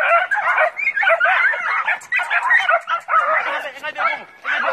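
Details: Five-month-old Jack Russell Terrier puppies on a wild boar hunt yap in rapid, high-pitched, overlapping barks and yips.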